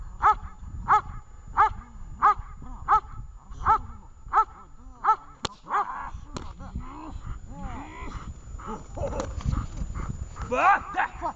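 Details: Dog Vesta at a training session in Horlivka gives a regular series of sharp barks for about five seconds, then stops as people start talking and instructing the handler.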